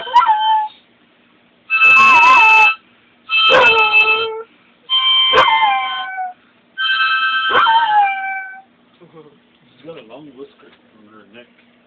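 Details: Singing Basset Hound giving a run of five drawn-out howls, each sliding downward at the end, with steady held tones behind them; the howling stops and a few faint murmurs follow.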